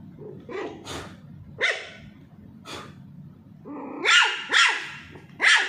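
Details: Little Pomeranian puppy Charlie barking while teased during ball play: scattered high-pitched yaps, then a quick run of three louder, sharper barks close together at the end.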